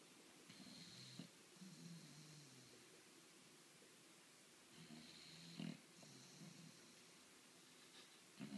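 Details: A 10-month-old bulldog snoring quietly: two soft clusters of rasping, rumbling breaths separated by a few seconds of near silence, with faint wheezy hiss above.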